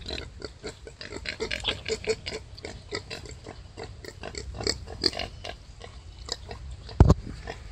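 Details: Wild boar giving birth to five piglets: a dense run of short, rough grunts and squeaks, several per second, over a steady low rumble, with one sharp louder knock near the end.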